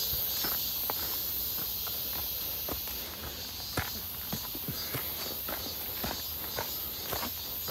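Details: Cicadas near Seonbawi on a clear, hot 1 August 2023 midsummer day, during a walk: a steady, high, shimmering buzz drones without pause, overlaid by crunching footsteps about twice a second.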